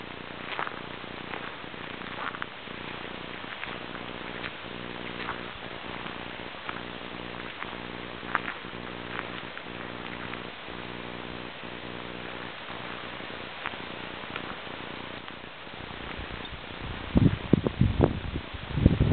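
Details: Porcupine giving a run of low, pulsed, buzzy grunts repeated in quick rhythm through the middle of the recording, with scattered clicks and scraping throughout and louder rustling bumps near the end.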